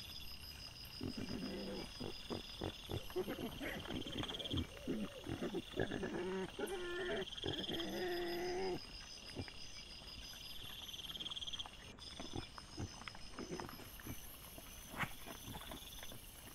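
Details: Wild boars caught by a trail camera on 18 September 2024: harsh, rough squealing and grunting bursts crowd the first nine seconds, then fade to scattered knocks and rustles, over a steady high insect drone.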